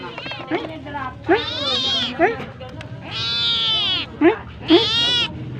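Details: Domestic cat meowing to ask for food: long, drawn-out wailing meows that bend up and down in pitch, with short higher squeaks between them and faint music in the background.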